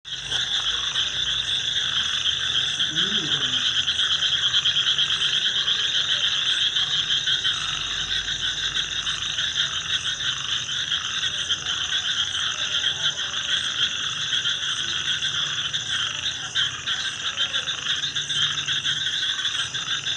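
A dense night chorus of frogs, a steady high-pitched trilling wash of many overlapping callers.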